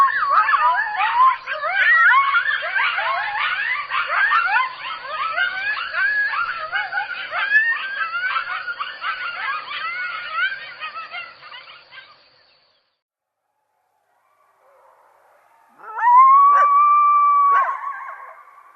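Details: Coyotes in a dense chorus of overlapping yips and wavering, quick-sliding howls for about twelve seconds. After a short silence, one long steady howl follows, with a strong upper overtone.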